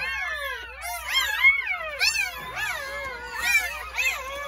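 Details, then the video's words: Newborn Jindo puppies crying on New Year's Day at a countryside house, part of a litter of nine born between 8:30 in the morning and 1 pm; several high, wavering whines overlap, rising and falling in quick bursts. "새해첫날 시골집 진돗개 9마리 출산했어요 새해 첫 우렁찬 울음소리와 함께 새생명이 탄생"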